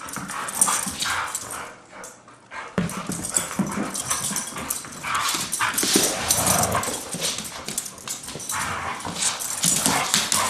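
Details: Pair of Siberian Huskies in rough daily play, not a fight; rapid, irregular whining yips and growly bursts mixed with heavy scuffling, a brief quieter lull near two seconds.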